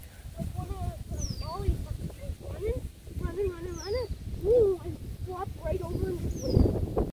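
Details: Playful Redbone Coonhound puppies tussling with a Bluetick Coonhound pup, giving low, wobbling grumbles and whiny moans that rise and fall, while people talk nearby and a faint, high, descending chirp repeats about every two and a half seconds.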